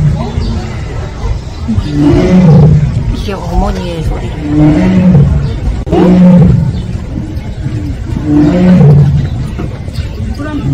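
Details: Captive Siberian tigers at Seoul Grand Park zoo give low, moaning 'aung' calls, one deep drawn-out cry roughly every two seconds, four in all, with a steady murmur of people talking in the background.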